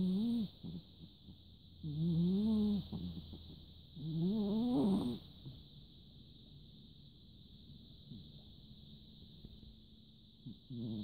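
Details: Large orange cat asleep and snoring, recorded 14 December 2017; low, rough, buzzing snores about a second long repeat roughly every two seconds, each rising slightly, separated by quiet pauses, over a steady high electronic whine.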